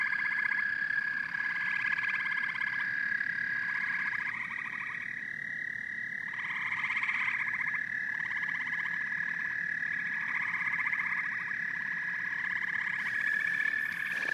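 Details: Frogs and toads call together in a dense night chorus: a steady high trilling drone runs throughout, while lower pulsed croaking trains come in repeated bursts of about a second, with a brief scratchy sound near the end.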